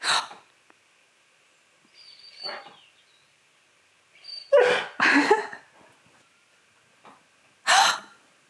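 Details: Key, a pet dog, reacting indoors to its owner gasping dramatically with short throaty grumbles and breathy huffs in uneven bursts, loudest around the middle, as if asking whether the owner is alright.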